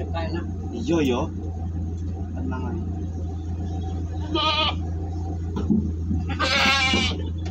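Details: Jumbo goats on a delivery trip near Malang, Indonesia. People talk over a constant vehicle rumble, broken by a short quavering bleat midway and a louder, longer, harsher bleat near the end.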